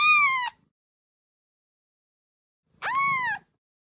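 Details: Kitten meowing, sounds meant to attract a cat: two clear, high, slightly arching meows about two and a half seconds apart, each rich in harmonics and falling at the end, with silence between.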